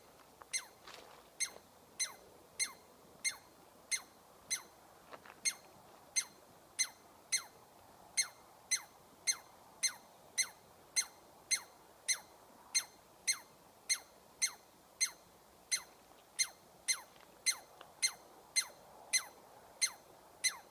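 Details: Chatty squirrel calling nonstop: quick, bright, down-slurred notes, almost two each second, keep coming steadily for about twenty seconds with only faint background noise.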